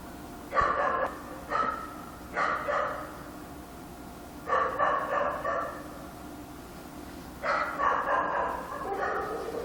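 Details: Distant-sounding dog barking at night in Korea, blurred barks in groups of two to four with short gaps, against a steady low background noise.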